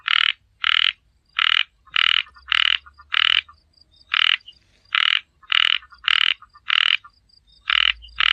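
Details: Small frog calling in a steady series of loud, harsh, buzzy croaks, each about a third of a second long, about fourteen within eight seconds, separated by short silent gaps; faint low hum underneath.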